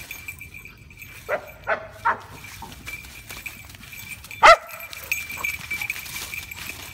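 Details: Shiba Inu dogs, two of them, confronting a cat: short sharp barks come in a quick burst of three, then one loud bark, over a steady high-pitched whine in the background.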